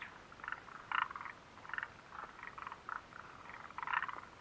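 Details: Frogs calling near the Mitsuishi refuge hut on 29 June 2013: short pulsed croaks repeated irregularly, several overlapping callers forming a steady chorus with quiet gaps between bursts.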